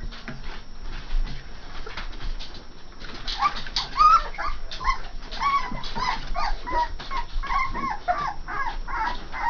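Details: Three-and-a-half-week-old Saint Bernard puppies: a low rumbling background for the first few seconds, then a run of thin, wavering whimpers and squeaky yips that keep going, closely spaced, to the end.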